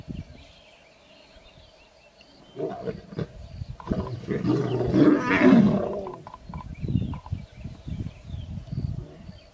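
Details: Lioness trying to protect her cubs against nomadic male lions in the wild: harsh, rough roaring and snarling bursts build and peak between about two and six seconds, then trail into ragged growls, over a steady background hum.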